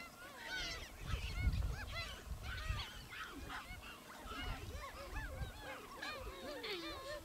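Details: Wild gelada baboons in the Simien area of Ethiopia, filmed in October–November 2015; many overlapping arched, harmonic calls, rising and falling, keep up a busy chatter, with low wind rumble beneath.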